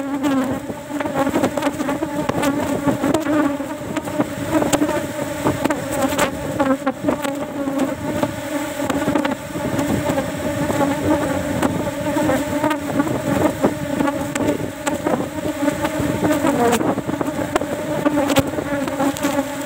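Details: Honey harvest from a cultivated Apis cerana box, one frame removed while flowers are not yet in season; long sustained buzzing hum that rises and falls slightly, with scattered clicks and bumps from hive work.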